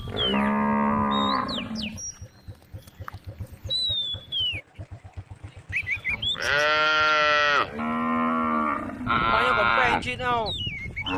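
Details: Cows led to the stable by their herder, mooing in long harmonic calls, one at the start and a close run of three later, between them a stretch of footsteps or hoof sounds, with bird chirps above.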